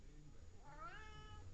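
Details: Chatty house cat, talkative as usual, letting out a short meow that climbs and then tails off, its harmonics clearly stacked, over a steady low hum.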